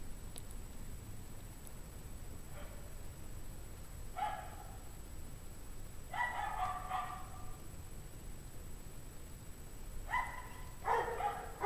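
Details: Several dogs bark in the cold at 17°F, 5 PM, January 9, 2009, perhaps from loneliness or pain; irregular distant barks, some single and some overlapping in clusters, set against a steady faint hiss.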